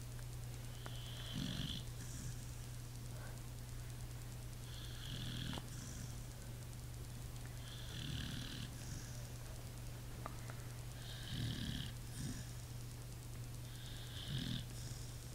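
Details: Pit bull asleep and snoring: low rumbling snores with a wheezy hiss on each breath, recurring roughly every three to four seconds over a steady low hum.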